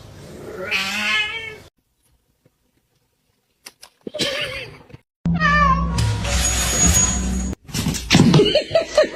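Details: Pet cat meowing in short bursts: a quavering, wavering cry, a pause of near silence, then further sliding meows set against loud background music and bright clatter.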